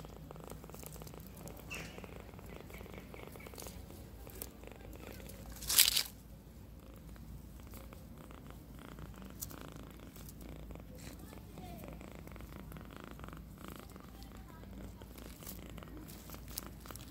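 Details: Really loud purring from a tiny kitten, a continuous low pulsing rumble held throughout, broken once near the middle by a brief sharp rustle or bump.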